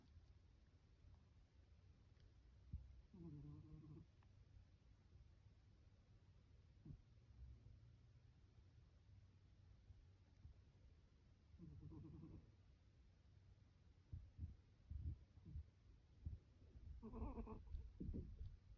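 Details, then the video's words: Sleeping female pet cat snoring: soft, buzzy rasping snores at intervals of several seconds, with faint rustles and quiet room noise between them. "Cat Snoring"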